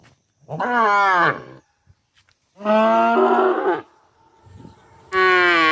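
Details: Cow giving repeated moos: three loud drawn-out calls, each about a second long, spaced roughly two seconds apart, with faint background noise between them.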